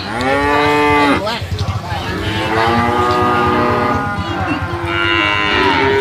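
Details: Brahman bulls: one moo breaks off after about a second, a pulsing low grunting follows, then two more long, sustained moos rise and fall.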